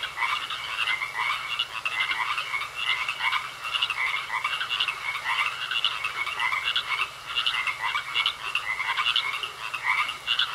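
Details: Chorus of frogs in a pond, several callers overlapping with rasping, rapidly pulsed croaks delivered in short bursts, forming a dense rhythmic clatter that swells and eases repeatedly.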